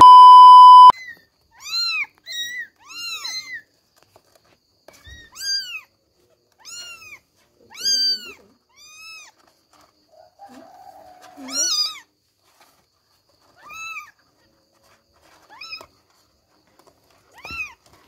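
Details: Billie, Ely and Backy, three kittens, meowing as they try to climb out of their bed; a steady electronic beep opens, then a dozen or more high arched meows repeat in short bursts with quiet gaps.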